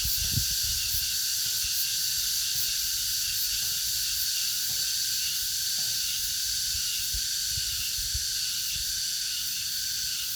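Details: In August, cicadas fill the air with a dense, steady, high-pitched buzzing chorus that never lets up.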